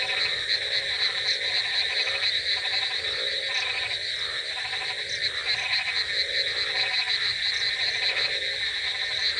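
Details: Croaking frogs in a rainy night setting, with a busy, even chorus of quick rattling pulses, a persistent shrill trill on top, and lower croak bursts returning at short, irregular intervals.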